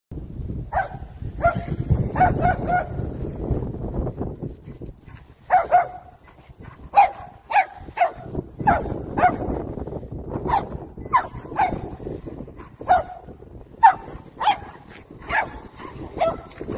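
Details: Poodle trained to chase a remote-control car, showing its hunting instinct: sharp barks in quick bursts, some doubled, spaced unevenly across the stretch, with low rumbling background noise throughout.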